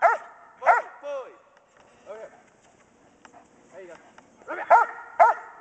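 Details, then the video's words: Kodiak, a German Shepherd Dog bitch three weeks from whelping 10 puppies, in bark and hold training, January 2010: two sharp barks, a rising whine, quieter vocal sounds, then two more loud barks. "GSDs BARK & HOLD"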